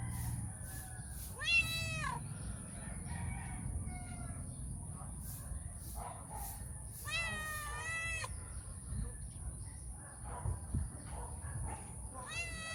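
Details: Stray female cat seeking cuddles and affection before her meal; three separate meows, short then longer and wavering with a falling end, spaced several seconds apart against low background rumble and a steady high-pitched hiss.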